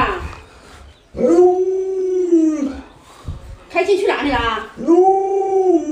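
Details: A pet Alaskan Malamute vocalises in arched, tonal howls lasting one to two seconds each. Each one rises slightly and then sags, with a rougher, noisier burst between them.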